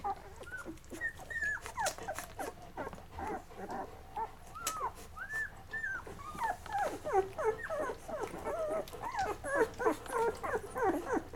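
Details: Mocha's Labrador Retriever puppies at day 11, feeding and then settling to sleep; a busy chorus of high arched whimpers and squeals comes in quick overlapping bursts, several per second, growing denser toward the end amid faint clicks.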